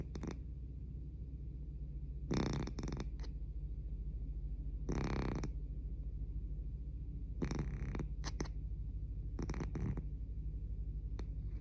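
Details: Sleeping pet cat giving unusually loud snores: irregular rasping snore bursts, some long and some in short broken pulses, spaced two to three seconds apart, with faint low hum between.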